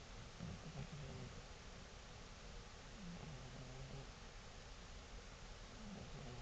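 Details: A 17-year-old cat asleep on a table snores softly: low, rough, droning breaths at about 0.5, 3 and 6 seconds, spaced roughly three seconds apart, under a steady background hiss.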